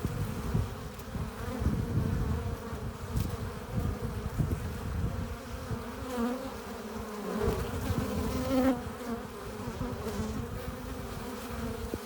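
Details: Many honey bees at their hive entrance returning with pollen and nectar; a dense, even droning buzz throughout, with faint higher whines of individual bees drifting past.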